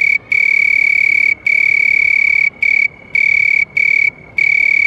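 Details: House cricket chirping: a piercing, level-pitched trill held for long stretches of up to a second, with short breaks between bursts and little else audible.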